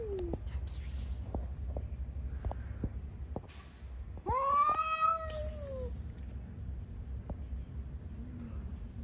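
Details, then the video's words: Street cats fighting outdoors: one loud, drawn-out yowl swells and bends slowly downward over about two seconds, with fainter short cries before and after, over a steady low traffic rumble and scattered clicks. "Cats on the street are fighting with a lot of funny sounds."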